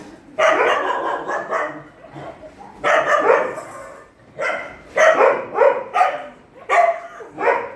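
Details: Shelter dogs at night feeding bark in a loud, harsh volley. A long burst opens, then comes a pause, and several quick barks follow at about one-second intervals. Voices are faint in the background.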